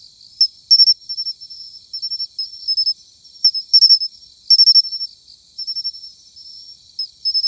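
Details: Matsumushi cricket, an autumn singing insect, giving its chin-chiro-rin song: quick triplets of sharp, metallic high chirps, then softer, drawn-out tinkling notes, the pattern repeating about every second or two.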